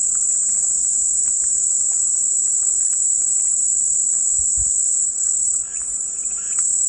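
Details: Relaxing cicada sound used as white noise: a constant, piercing high drone that dips slightly near the end, with a brief low thump and faint scattered chirps.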